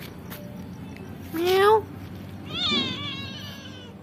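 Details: Pet kitten answering its owner at home: a person's short rising meow imitation, then the kitten's high, slightly falling meow lasting under a second, over quiet background noise.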